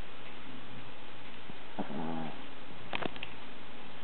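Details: Snoring dog, with a deep continuous drone beneath loud static, a single wobbling, harmonic-rich snort in the middle, and a few sharp clicks just after.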